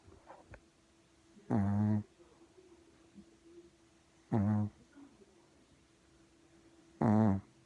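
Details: Sleeping puppy snoring in a quiet room, three low, throaty, buzzing snores spaced roughly three seconds apart, with near silence between breaths.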